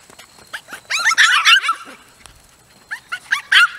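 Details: Miniature Poodle puppies, several together, giving rapid high-pitched squeaky yelps and whines in overlapping bursts, a dense cluster early on, a short quiet gap, then more scattered yips.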